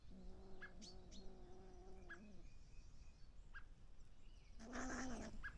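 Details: Young European pine marten cubs visiting a garden feeder in mid-May give a low, nasal, two-second whine, a few faint high chirps, then a louder, rougher squall before falling quiet.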